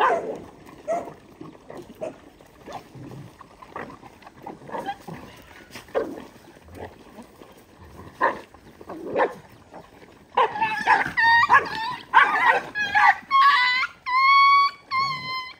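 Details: Several dogs feeding on rice: faint scattered barks and shuffling at first, then a noisy stretch of overlapping yelps ending in drawn-out, tonal whines.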